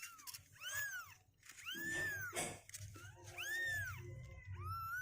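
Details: Kittens two weeks old, day 16, restless and climbing out of their box indoors; a run of four loud, bowed mews, each rising then falling, close together, over a soft low hum.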